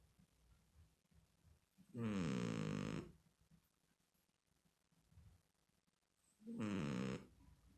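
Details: A small cat sleeps indoors, snoring in two separate rasping breaths about four seconds apart, each roughly a second long, coarse and throaty over a quiet room.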